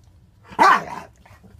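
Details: Single sharp bark from one of two pet dogs, a five-month-old white French bulldog puppy and a five-year-old blue nose pitbull, filmed July 2, 2014; loud, abrupt onset with a brief falling tail, quiet room hum around it.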